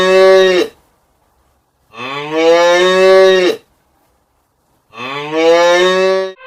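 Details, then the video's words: Cow mooing: three long, loud, harmonic moos, each lasting over a second, about three seconds apart, with clean silence between calls. "Natural sounds of animals/hippo,rat,giraffe,cows and elephants etc"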